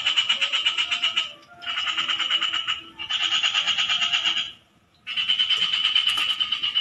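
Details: Frogs calling in four bursts of rapid, buzzy pulsed croaks, each lasting about one to one and a half seconds and separated by short silences, with faint low background rumble.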